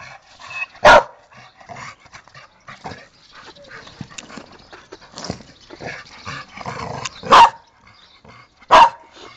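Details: A dog gives three sharp, loud barks, one early and two close together near the end, with quieter scuffling and murmuring noises between them.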